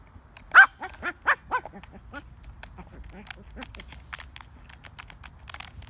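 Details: Shih Tzu playing with a frisbee, giving four short, arched, nasal yaps in quick succession early on, then fainter clicks and rustling thuds of play.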